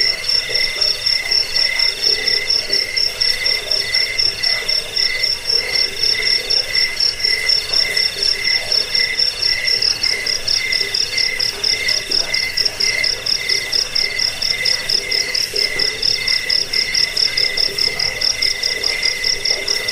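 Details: Jangkik cricket sound intended to repel rats, help sleep and train birds: rapid, closely spaced shrill pulses in two pitches, unbroken for the whole stretch, over soft background noise.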